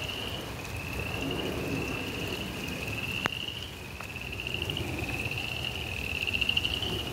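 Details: Frogs calling during rain in a suburban backyard: a steady, high, pulsed trill that begins after half a second and runs almost without a break, with soft rain hiss beneath and a few sharp clicks.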